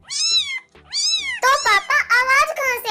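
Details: A cat hidden inside a scooter gives two clear arched meows, followed by a high-pitched voice speaking over the rest.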